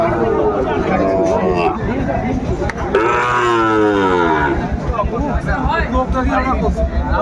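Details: Sahiwal bull calves for sale to Dhaka farmers at a cattle market, 27 January 2025. A drawn-out moo swells and then falls around mid-clip, heard over crowd chatter, spoken price calls and background music.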